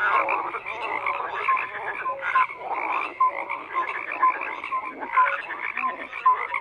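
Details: Numerous frogs croaking at once: bursts of raspy calls come in surges roughly every second, with bright, brief whistled notes repeated between them.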